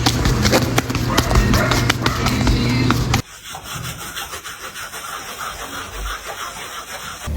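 A horse makes a rough, rapid, sloshing rattle with its mouth, then stops abruptly.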